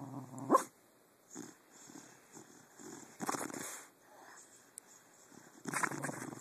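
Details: While sleeping, pet dog Jake, recorded on a phone at night, gives a string of soft, muffled woofs and puffs, short and irregular, with a couple of louder bursts.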